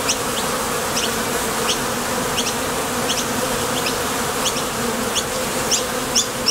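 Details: Buzzing of honey bees crowding the entrance of a top bar hive as foragers depart and land, a constant low hum with scattered sharp high ticks, a few louder close passes near the end.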